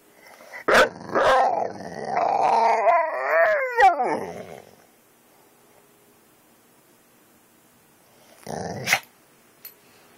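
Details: Pet dog Kane responding to dog videos with an opening sharp bark, then a drawn-out wavering howl-like whine that slides downward and fades, followed by silence and one last short bark burst.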